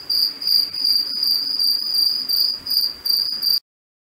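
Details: A cicada in a residential garden in Cape Town, South Africa, early morning on 2 March 2021, sings a continuous high, metallic buzz with a ringing tone and faint overtones, swelling and dipping in brief pulses before stopping abruptly.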